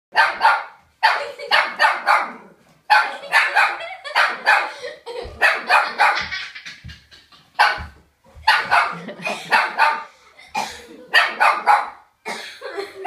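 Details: A dog barks at a car in rapid, dense volleys of sharp barks, bursts lasting a second or two and broken by brief pauses, continuing throughout about thirteen seconds.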